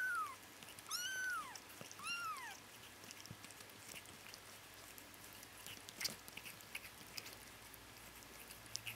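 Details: Bengal kittens, twitching and dreaming indoors, give three thin, high mews in the first two and a half seconds, each an arched, slightly falling cry; the rest is a quiet room with faint clicks.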